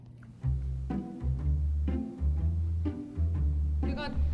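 Low bowed and plucked string music with some speech, and no animal calls.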